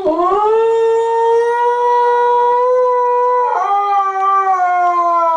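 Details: Diva, a pet dog missing her grandson-owner's grandson Derek, howls after hearing him on a computer: one long, steady, tonal howl with rich harmonics, holding level before stepping slightly lower near the end, no other sounds.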